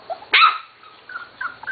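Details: From the Katie and Venus litters, a Corgi puppy nearly seven weeks old gives one sharp bark-like yelp, followed by faint thin squeaks from the litter.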